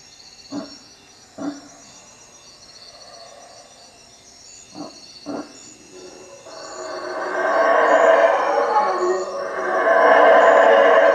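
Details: Howler monkeys in treetops near a hut at Lake Peten Itza, Guatemala, after dark: four short gruff grunts in pairs, then from the middle on a loud, growing, rumbling roar, with insects buzzing steadily in the background.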